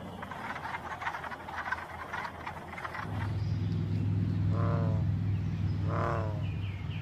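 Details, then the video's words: Michigan frogs: a fast pulsing chorus fills the opening seconds, then a deep steady drone sets in, with two separate harmonic croaks standing out near the end. "Michigan Frog Calls"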